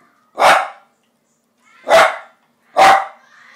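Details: Sweepy, a pet dog wanting tikka masala, barks three times, loud and sharp, each bark spaced about one to one and a half seconds apart in a quiet room.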